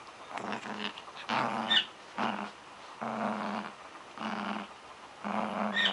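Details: Dog growling in play over a toy: longer rumbling growls of about half a second to a second each, separated by brief pauses, with a faint squeak from the toy.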